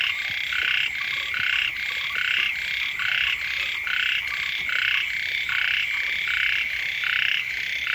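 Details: Early-rains frog chorus by a house: many callers giving raspy, buzzy croak bursts in a continuous overlapping pattern, some seventy per minute, with faint ticking notes underneath.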